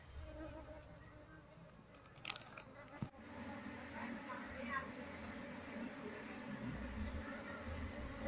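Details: Wild Apis cerana honey bee colony being moved from a window shutter into a hive box, queen being sought: a steady low droning hum with layered tones, a sharp knock midway, and a voice speaking over it.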